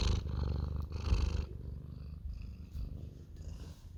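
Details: Orange domestic cat purring loudly while asking for cuddles; a steady low rumbling purr with pulsing texture, stronger bursts in the first second and a half, then softer continuous purring.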